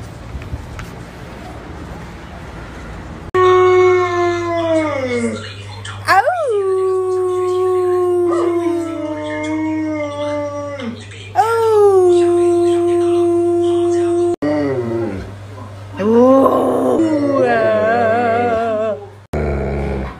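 An Alaskan Malamute gives long, wavering howls that slide downward in pitch, with short breaks between.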